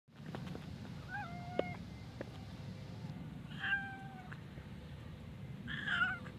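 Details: Mother cats and kittens living at a pagoda, meowing while asking to be fed; a few short tonal meows spaced several seconds apart over a steady low background hum.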